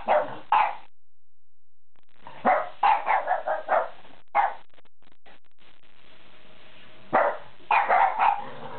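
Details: Two French bulldogs barking indoors: bursts of sharp, repeated barks in quick runs of three to five, separated by pauses, with a faint steady hum in the background.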